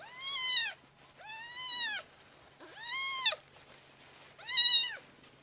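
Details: Tiny rescued kitten in foster care, playing on a lap indoors; four loud, evenly spaced arched meows, each about half a second long, rich and high, in near silence.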